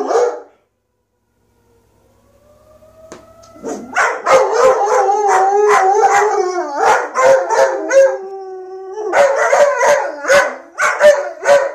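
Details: Two German Shepherds, Ronin and Athena, howling together: a thin rising whine builds into long wavering howls layered with sharp yelping breaks and harsh, pulsing voice, loud and continuous after a quiet start.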